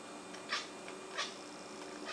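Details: Blip, a six-month-old pet cat, making cute noises while hunting a fly indoors: two short, bright chirping bursts about two-thirds of a second apart over a steady mechanical hum.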